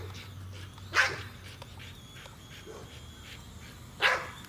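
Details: Nola, a female American Bully, barks while chasing a drone overhead: two loud, short barks about three seconds apart, with softer yips between them and a thin, steady whine from the drone above.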